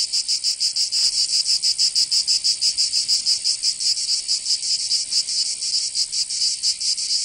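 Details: In southern France's Provence, cicadas fill a summer day with a high, grating drone, its pulses slightly uneven in spacing but continuous, a faint low tick near the one-second mark.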